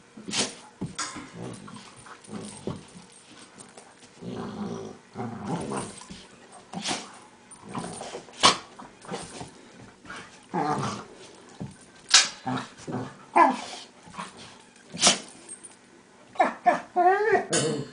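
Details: Pet dogs Max and Leo play fighting indoors, the smaller Leo making strange noises likened to a monkey. Scattered short growls, snorts and scuffling bursts, with a few brief warbling whines near the end.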